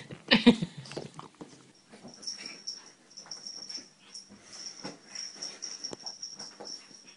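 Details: Pug in a funny compilation giving one loud, wheezy snort at the start, then a run of softer snuffling breaths, with a thin steady high whine underneath throughout.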